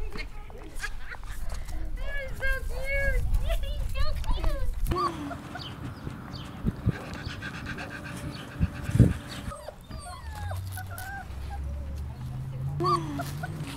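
Rottweiler puppies give a quick run of high, arching whines and yips, with people talking afterward.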